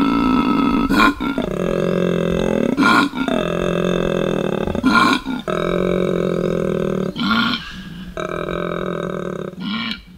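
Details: Koala (Phascolarctos cinereus), bellow.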